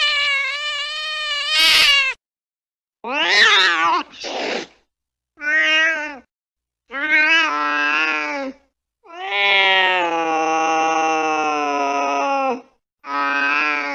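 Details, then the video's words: Cat chasing a mouse late at night: a series of short, harmonic-rich meows separated by brief silences, followed by a longer, steady drawn-out meow around the middle and a final short cry. "tiếng mèo đuổi chuột trong đêm khuya"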